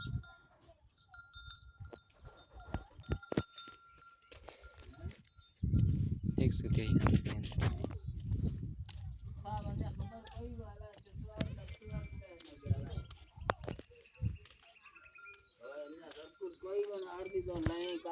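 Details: A herd of goats sitting with a buck in Tharparkar; harmonic, wavering bleats rise near the end, over low rumbling noise, clicks and a faint steady tone.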